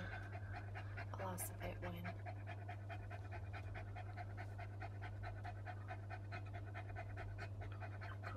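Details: Female English Cocker Spaniel panting hard during a labour contraction while giving birth to one of five puppies; rapid, steady breathy pants, over two per second, with a brief sharp rustle near the start and a constant low electrical hum.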